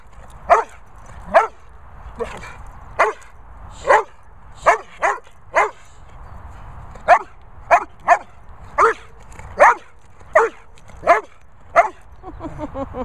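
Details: Jorjie, an Airedale Terrier, barking: loud, sharp single barks repeated about once a second, roughly fifteen in all with short pauses, against a quiet background.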